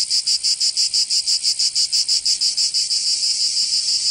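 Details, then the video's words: Cicadas in summer in Provence, France: sharp buzzing pulses about three per second that merge into a steady unbroken drone in the final second. "Canto Cigarra 🦗 [ Escuchar les cigarras en verano 10 H]"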